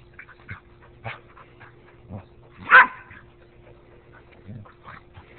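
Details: Two dogs fighting: scattered low growls and short snarls, one loud sharp bark or yelp near the middle, over a steady background hum.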